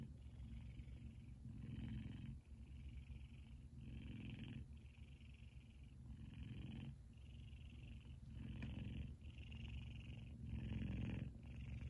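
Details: A sleeping, twitching male F2 Savannah cat purrs loudly and steadily, a deep rumble swelling with each breath in and out.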